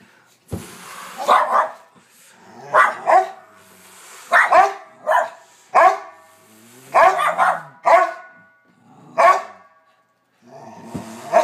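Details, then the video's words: Two pet dogs, Bronner and Bella, barking up a storm: loud, harsh barks in clusters of two or three, separated by short pauses, continuing through the whole stretch. "Dogs barking"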